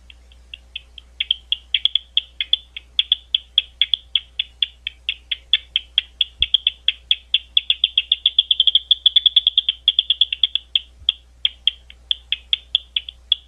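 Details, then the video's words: Bats at Gwynne Conservation Area outside London, Ohio; a long train of sharp dry ticks, several per second, quickening into a dense rapid burst midway before slowing again, over a faint low hum. "Bat Calls at Gwynne Conservation Area"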